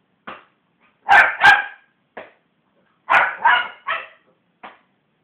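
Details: A West Highland White Terrier barking after being provoked by hands bashing on a sofa: short yaps and two pairs of loud, harsh barks about two seconds apart, with softer single barks in between.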